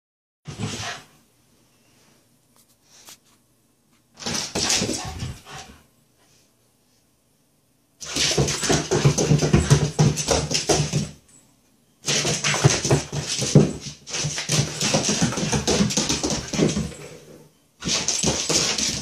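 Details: A Shiba Inu chasing and playing with its tail makes rasping, broadband bursts, some low and growl-like, in uneven runs of a few seconds. Brief silences separate them, with a faint whimper in quieter moments.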